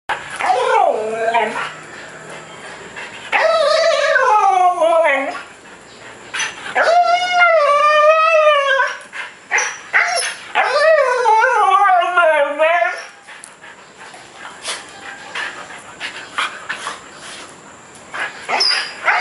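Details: Jedi, a 3-year-old Siberian Husky recently adopted after neglect, makes long, wavering, gargling howls that rise and fall in pitch to get his owner's attention.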